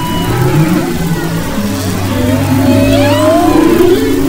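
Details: Humpback whale vocalizations off west Maui, February 2011: a low humming drone joined by a long rising, then falling, moaning sweep and faint higher whistles.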